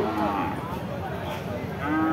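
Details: Cattle in Chaugachha, Jessore, Bangladesh: a short harmonic moo at the start and another beginning near the end, over steady loud background rumble and crowd noise.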